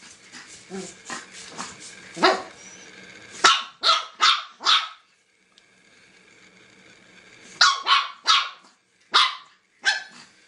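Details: Angry dog barking in sharp, loud single barks, a quick run of four near three to five seconds, then another cluster of four after a pause, with softer noises between.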